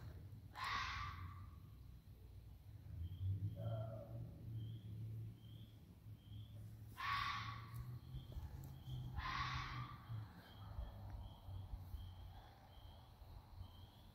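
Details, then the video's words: A neighbourhood fox family out for a ramble at night, with a red fox giving a few harsh, raspy screeching calls over a low, steady rumble. "Fox sounds - no video just sound"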